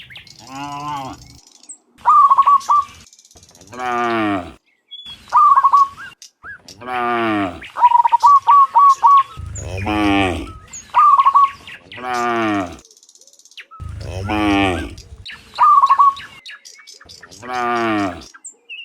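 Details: A herd of dozens of cows walking home from the fields to their pen in the afternoon, giving repeated drawn-out, falling moos, interleaved with short, rapid, trilling chirps from birds nearby.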